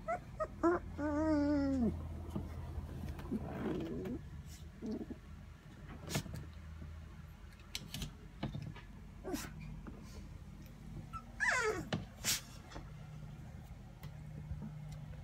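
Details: Puppies 23 days old whimpering: a wavering, high harmonic whine early on, then a quick rising squeal near the end, with soft thumps and shuffling between.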